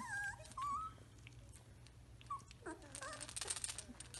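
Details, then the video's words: Samoyed puppies, three weeks old, walking and playing indoors. Soft, thin whimpers rise and fall in short wavering notes in two brief groups, over a steady low hum and some rustling. "Samoyed Puppies 3 Weeks Old"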